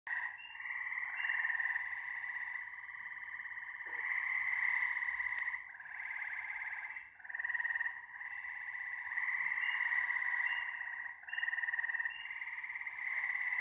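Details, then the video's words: Frog chorus of many overlapping callers: dense, buzzy pulsed trills in long sustained bouts, dipping briefly every few seconds before swelling again, with a faint higher tinkling layer above. "Frog Symphony No. 1"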